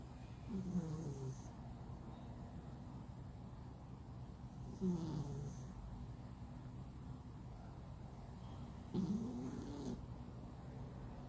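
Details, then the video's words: Flat-nosed pet cat, male, sleeping deeply and snoring loudly; three low, rasping, drawn-out snores about four to five seconds apart, each rising and falling in a short whining curve, over a steady low hum. "Cat Snore! yes yes yes he snore so loud"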